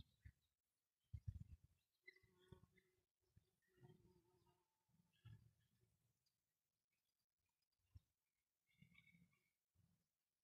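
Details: Bumblebees, said to be the rare, endangered Bombus confusus, buzz in short, low droning bursts as they fly past in front of their nest hole, with quiet gaps between.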